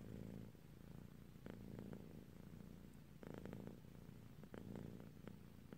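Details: Sleepy female cat dozing off, giving a low continuous purr that swells in waves, with soft breathy inhale and exhale phases about every one and a half seconds.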